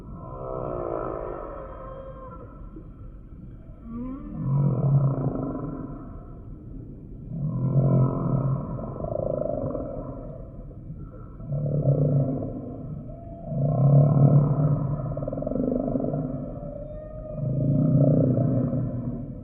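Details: Humpback whale song: a series of deep, harmonic moans swelling and fading about every three seconds, each with a rough, grainy low core and brighter overtones above, in a steady underwater wash.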